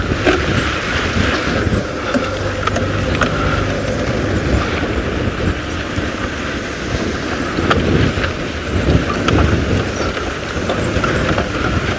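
A steady vehicle engine rumble with wind buffeting the microphone, and no animal calls stand out.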